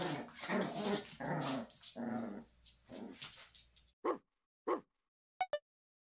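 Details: Maltese mother teasing her son: about four seconds of low, rumbling growls and grumbles, followed by two short, sharp yelps and a quick pair of clicks.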